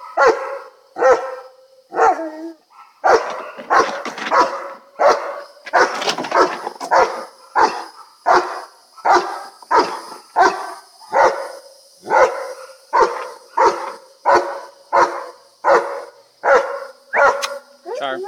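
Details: A restrained German Shepherd barks loudly and steadily, deep harsh woofs about once a second, frustrated and aggressive during a bath as the neighbour's Vizslas run around nearby; the dogs habitually fence fight.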